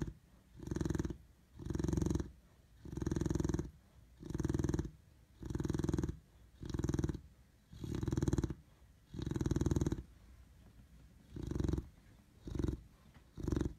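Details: Rumbling, purr-like snores from a Chow Chow puppy, deep breaths repeating a little under once per second, spacing turning uneven and shorter toward the end, in otherwise quiet surroundings.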